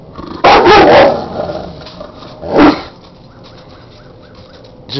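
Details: Dog angry that his keg is frozen to the ground, giving a sharp double-burst bark followed by a single shorter bark, then a man speaking to him over a quiet background.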